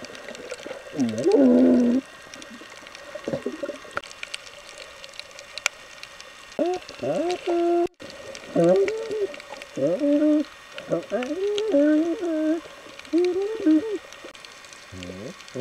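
Galapagos sea lion giving wavering, moaning underwater calls that rise and fall in short bursts.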